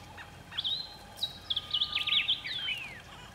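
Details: Dwarf mongoose in Kruger National Park giving high, thin chirps and squeaks, ending in a long downward-sliding whistle.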